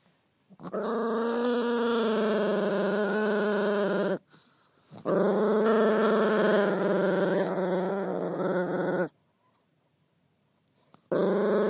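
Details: Pet dog with fluid on the brain, cranky at night, being gently patted: long, steady, droning moan-growls lasting about four seconds each, rich and harmonic, with short silent pauses between.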